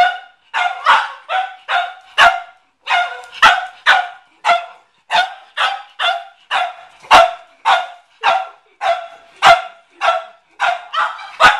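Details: Garage scene of the Cavalier King Charles Spaniel McCartney barking at a watermelon, as he did every time he went there; long, rhythmic chain of sharp barks, nearly two per second.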